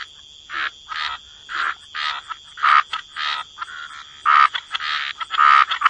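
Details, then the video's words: Croaking frogs by the water in a wetland chorus: raspy mid-pitched croaks in short bursts about every half second, some louder callers nearby, with a constant high whine behind them. "Relax to the Sound of Croaking Frogs"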